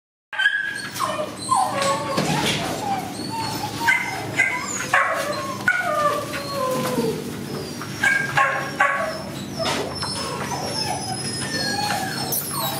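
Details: Border Collie puppies calling together, a continuous tangle of overlapping high yips, short yelps and drawn-out whines from several pups, with no pause through the stretch.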